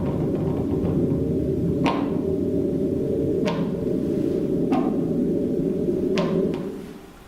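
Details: Fin whale calls were picked up underwater in earthquake recordings and sped up to be audible. Normally about 20 seconds apart, they sound as sharp knocks every second or two over a low rumble.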